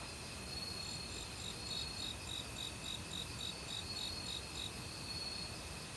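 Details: Forest crickets in autumn, mixed with other insects, some of which had begun calling loudly a week earlier. High, evenly spaced chirp pulses run in long series over a continuous shrill insect drone, with a rushing mountain stream beneath.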